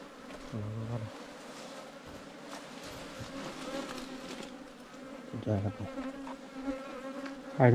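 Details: Wild ground-nesting bees, small cavity bees that nest in underground hollows or termite mounds, disturbed as honey hunters break into their nest in Thailand; a steady low droning hum runs throughout, with thumps and brief rustling bursts near one and five seconds.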